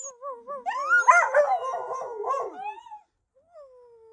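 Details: Dogs howling: a quavering tone rises into a loud chorus of overlapping wailing voices with rough yelps, then fades into a single long falling howl.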